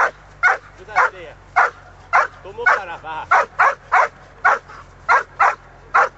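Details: A 1 year 7 month old Giant Schnauzer barking during bitework training: loud, sharp barks repeated roughly every half second, with brief whining, yelping sounds between some barks.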